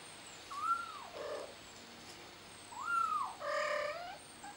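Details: Kitten trapped on a flower pot gives two drawn-out, arching meows with clear harmonics, each followed by a shorter, harsher cry, over steady background hiss and faint high chirps.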